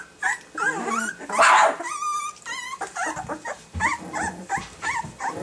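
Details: Rottweiler pups aged two weeks guarding their territory, giving wavering high whines and squeaky yips mixed with brief rough growls, in quick overlapping bursts from more than one puppy.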